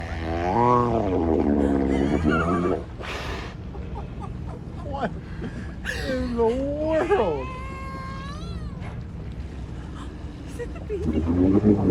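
A killer whale produces a series of squealing, tonal calls with rich harmonics, some sliding upward and others bending down. Human voices and exclamations are heard around the calls.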